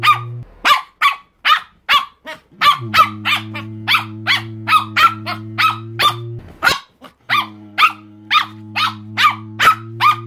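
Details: Chihuahua yapping insistently, short sharp barks evenly spaced about twice a second, roughly twenty in a row, over an intermittent steady low hum.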